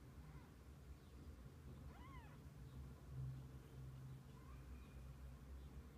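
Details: Domestic cat, from a family of kittens with their mother spending the day together: one clear arched meow rising then falling near the two-second mark, with a few fainter short mews around it over a steady low hum.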